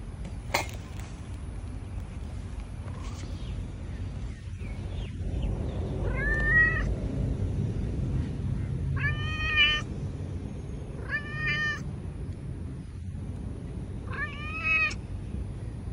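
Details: A tortoiseshell cat meowing nonstop because she is hungry: four clear, nasal meows with harmonics arrive roughly every two seconds in the second half, over a steady low rumbling background noise.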